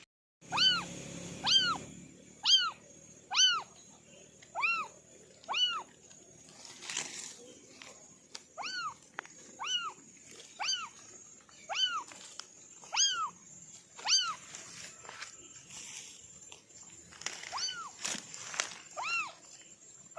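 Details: Kittens of an orange family of four, mewing in a steady series of short, high, arched meows with clear overtones, about one a second, with scattered sharp clicks and ticks between calls.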